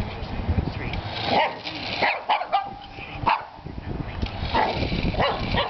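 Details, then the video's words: Two-year-old Shih Tzu barking at a remote-control toy truck: short sharp barks about once a second, over steady background noise and a man's voice. "Shih Tzu and Remote Control Truck Toy"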